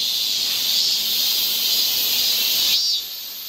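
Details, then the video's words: Summer cicada chorus along a Seoul forest trail in Korea, a steady shrill hiss that runs unbroken, then drops in loudness just before the end. "cicada sound"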